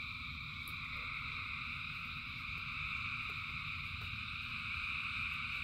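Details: In falling rain, thousands of frogs keep up a continuous high trilling chorus with no pauses, layered over a deep, constant rumble and scattered faint taps.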